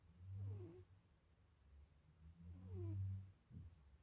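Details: Sleeping, dreaming tabby cat snoring indoors: two slow, low rumbling breaths about two seconds apart, each with a faint rising-falling nasal whistle on the in-breath, then a short third rasp at the end; quiet room.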